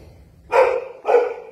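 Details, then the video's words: Puppies of a household mother dog, making enough noise to wake the cats: two sharp, loud yelping barks about half a second apart, each bright and harmonic, over a quiet indoor background. "WAKING UP TO THE NOISE OF MAMA JESSY'S PUPPIES"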